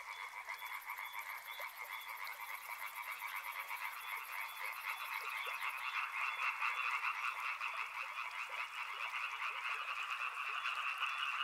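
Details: Many frogs calling together near a river: rapid, rattling croaks layered into a steady throb that swells in the second half, with a faint high, thin buzz over the first half.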